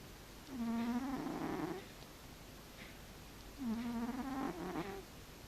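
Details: Sleeping house cat making two long nasal, moaning snores about three seconds apart. Each holds a steady low tone, then breaks into a rougher, wavering ending.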